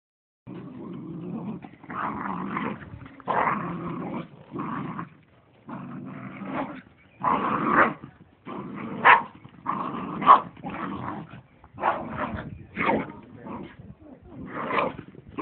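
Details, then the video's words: Two dogs playing wildly in a grandparents' garden, growling in bursts of rough, raspy snarls broken by short pauses, some yelping higher notes mixed in, roughly fifty bursts a minute. "2 cute dogs play wild"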